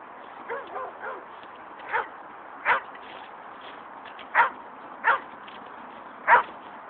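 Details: Angry Dobermans attacking a coyote: scattered barks, the first few run together as softer yelping, then sharper single barks spaced irregularly, about one every second.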